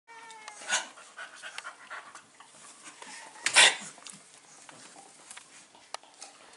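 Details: Five-week-old Staffordshire Bull Terrier puppies, filmed indoors on 27 September 2020: soft breathy panting puffs repeat unevenly, opening with a brief thin high whine, and one louder sharp burst cuts in midway.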